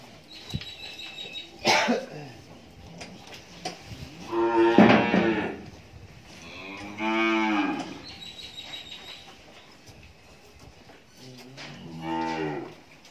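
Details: Farm-kept Friesian cow in Pabna, Bangladesh, after her second calving with a heifer calf, lows three times: a loud moo near five seconds, a longer drawn-out one around seven, and a softer moo near twelve, with clicks and knocks between.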